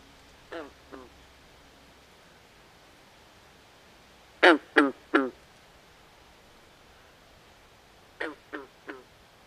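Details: Frogs calling by a swamp at night: a soft pair of rasping croaks, then a loud close triplet of duck-like quacks, then a further triplet, with calm hiss between.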